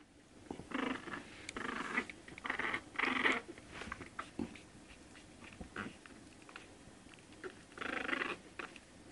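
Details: One-month-old Shih Tzu puppies giving short, high whining yelps in several loud bursts, some rising and falling, with quiet gaps between them and faint rustling in the background.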